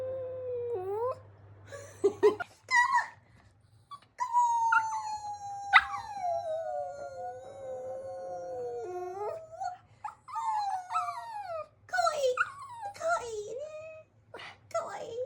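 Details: Pet Chihuahua-Pekingese mix dog giving an induced howl: rising, wavering drawn-out howls with harmonics, a long sustained note mid-clip, then shorter yelping whines toward the end; faint low hum in the background.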